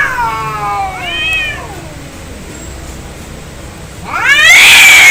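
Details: Cats in an angry fight: a descending wail and a short arched yowl, a quiet low growl, then a sudden loud rising screech.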